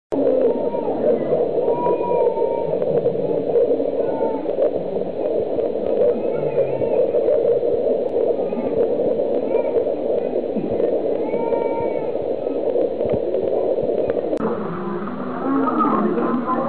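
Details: Dwarf mongooses at Ueno Zoo trade short, squeaky chirps and squeals during a fight, over a steady rushing background.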